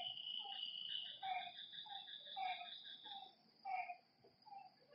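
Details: Night frog calls at a lakeside, brief hoarse notes with bright overtones coming in uneven bursts, over a thin high insect whine that fades partway through.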